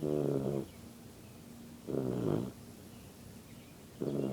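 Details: Yellow Labrador Retriever puppy asleep and snoring: deep, rumbling harmonic snores lasting about half a second each, repeated roughly every two seconds, with quiet breathing between them.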